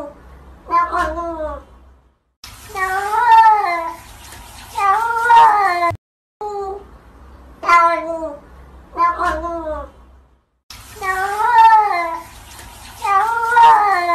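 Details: Cat giving a series of drawn-out wavering meows, about six calls each one to two seconds long with rising and falling pitch, separated by abrupt cuts and short silences.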